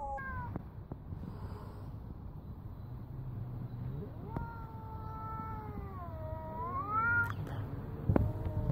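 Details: Male Bengal cat on the doorstep confronting a local tomcat, defending his sister; a long drawn-out wavering yowl rising and bending in pitch over several seconds, then a sharp scuffle noise near the end, with low background rumble.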